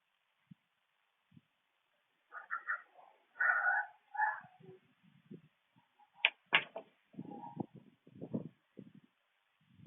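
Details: Raccoon directing awful noises at an opossum, recorded on camera; a series of nasal wails, then sharp clicks and scraping grunts, with quiet low huffs between.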